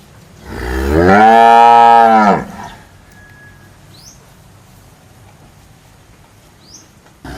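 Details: Single long moo from a cow, rising then holding a steady harmonic tone for nearly two seconds, followed by quiet with a few faint high chirps.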